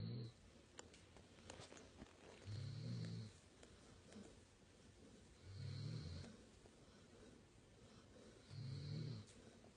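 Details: Sleeping puppy Labrador Retriever snoring beside a Weimaraner; three low, rumbling snores come about every three seconds, each with a faint breathy hiss above, separated by quiet breathing.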